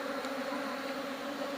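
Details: Honey bees buzzing while smoke is applied during honey harvesting, a brief, unbroken humming drone with steady tone and level throughout.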